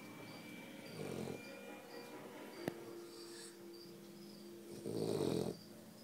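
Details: French Bulldog making funny sounds: two rough, nasal, low snorting grunts, one near the start and a louder, longer one near the end, with a faint steady hum and quiet room tone between them.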